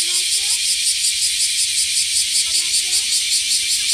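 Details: Cicada singing, a dense, continuous high buzzing drone pulsing rapidly and evenly throughout, with faint birdlike chirps and soft low sounds beneath.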